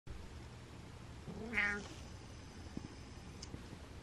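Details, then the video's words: Happy male pet cat giving a single short, nasal mreh lasting about half a second, over steady low room hum. "Cat Mrehs With Happy"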